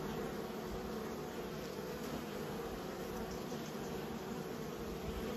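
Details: Honey bees under a beekeeper's care produce an even, unbroken hum, a thick wash of low buzzing that holds constant throughout without pauses.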